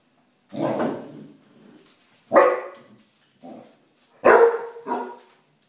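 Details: Female Basset Hound barking indoors at deodorant spray she hates: three loud, deep, hoarse barks about two seconds apart, each trailing into a lower grumble, with short quieter woofs in between.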